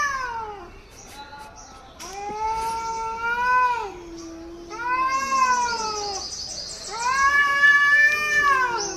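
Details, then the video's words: Angry cat in Hyderabad yowling at another cat: long, drawn-out wailing howls that rise and fall in pitch, several seconds each, with higher whining tones overlapping near the end, over faint background noise. "Angry cat making weird sounds to other car"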